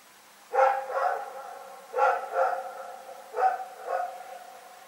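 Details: Rex, a dog, barking in the night, recorded 27 February 2018: three quick double barks, each pair a harsh harmonic woof followed closely by a second, spaced about a second and a half apart against a quiet background.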